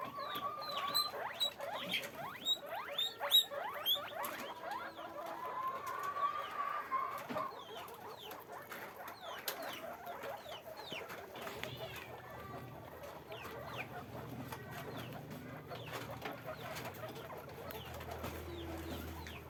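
Guinea pigs squeak and chirp in quick, overlapping bursts, high and sharp.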